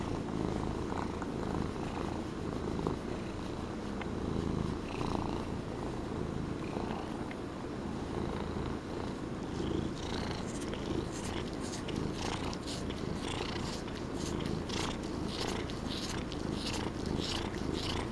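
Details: A fluffy Norwegian Forest Cat being petted purrs steadily, a low continuous rumble with soft rhythmic pulses.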